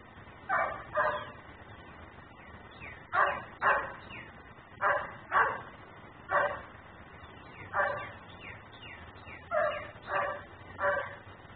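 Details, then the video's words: Nuisance dog barking while left outside, recorded on a camera running in ten-minute cycles: sharp barks mostly in pairs, repeated every one to two seconds, about seventeen in all, over a low constant hiss. "Barking dog no one hears.......but me"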